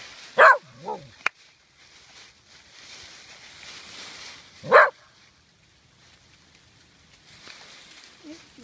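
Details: Dogs Pyper, Butterball and Looey playing and scuffling in autumn leaves outdoors, with some bullying and fighting; two loud, sharp single barks about four seconds apart, a brief lower yelp after the first, a sharp click, otherwise quiet background.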